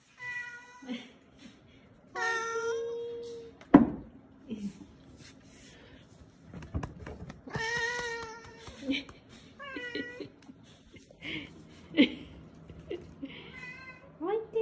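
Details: Rescued kittens, small and failing, discovered clinging to one another on the way home from a family funeral. They give plaintive, rising-and-falling meows at irregular intervals, some long and wavering. There are a few sharp knocks and faint human voices indoors.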